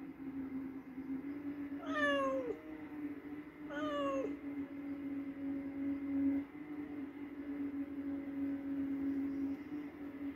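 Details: Cat after hunting a mouse, giving two drawn-out meows that fall in pitch, about two seconds apart, over a steady low hum that runs throughout.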